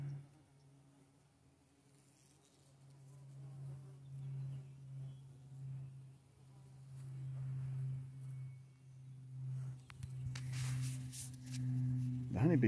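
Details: Honey bees foraging on the tiny blooms of a holly bush hum with a low, steady drone that swells and fades as they fly close.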